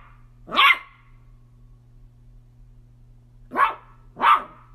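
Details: Miniature dachshund at play gives one loud bark, falls silent for nearly three seconds, then fires off two quick barks close together; a faint low hum runs underneath.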